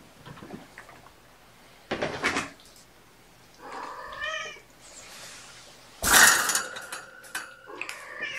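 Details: Kittens from mother Gamora's litter of five, born April 14, at afternoon play time indoors on 29 May 2018; one clear wavering, harmonic meow mid-clip, then loud rustling and clatter with a second short cry and scattered handling noises.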